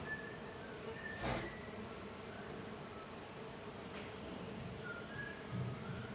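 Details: Tetragonisca angustula, the little golden jatai stingless bee, in intense activity at the hive entrance; a constant low buzzing drone with one soft thump early on and faint distant bird chirps.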